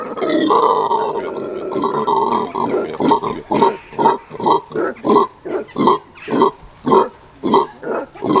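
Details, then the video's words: Venezuelan red howler monkeys at a zoo performing their morning howl; a sustained roaring chorus gives way to rhythmic, deep grunting pulses repeated roughly twice per second. "Venezuelan Red Howlers performing their morning howl"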